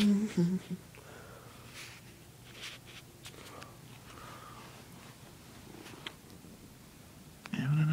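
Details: A pet cat purs after being disturbed while sleeping in the sun and then settles back into its nap. A soft, steady, low rumbling purr runs through most of the recording, with a person talking quietly at the start and end.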